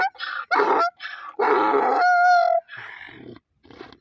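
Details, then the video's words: Donkey braying in loud, harsh bursts that alternate between higher wheezy notes and rougher lower ones, the longest lasting about a second and ending in a clear squealing tone, followed by two shorter, lower grunting puffs. "Donkey funny sound"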